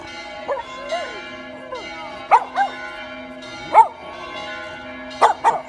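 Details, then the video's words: Pet dog named Billy howling along with the church bells of a church in Vasto; wavering, sliding howls rise and fall beneath steady ringing bell tones, with louder bell strikes at intervals. "Dog howling at church bells"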